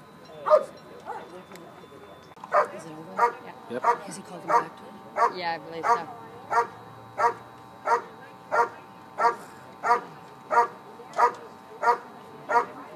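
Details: Bark and hold by a dog at an IPO trial, the 2013 Schutzhund USA Nationals: a long series of loud, evenly spaced single barks, roughly every two-thirds of a second, with brief voices in the middle.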